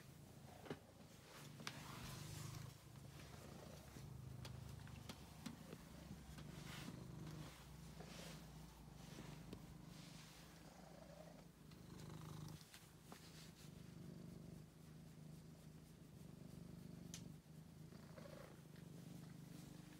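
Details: Angelus, a male pet cat rescued from a basement, keeps up a soft low purr through the recording, partly covered by frequent rustles, clicks and handling sounds.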